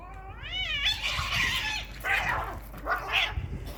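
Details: Fighting cats: a quavering, wobbling yowl breaks into harsh, hissing screeches in three rough bursts.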